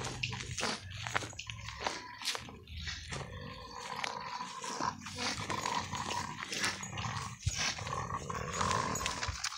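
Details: French Bulldog guarding a bottle he is chewing and refusing to let go: a steady low growl with a whiny tonal edge running throughout, broken by clicks and plastic rattling from the toy bottle indoors.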